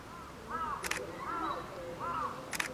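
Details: Captive female polar bear cub Lila, nine months old, at Sapporo's Maruyama Zoo in Japan, crying in hungry fussing before lunch amid typhoon wind and rain, October 2015; three drawn-out, arching whines in quick succession, interrupted by camera shutter clicks.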